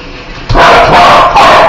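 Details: Dog that hates spiders lets out one long, loud, strained bark that runs on for over a second, with a rough, buzzy tone throughout.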